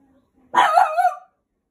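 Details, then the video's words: Rescued French Bulldog puppy of five to six months, staying up at bedtime and destroying its bed indoors, gives one drawn-out yowling bark with a wavering, rising-then-falling tone lasting under a second. "Max the French bulldog fights bed time."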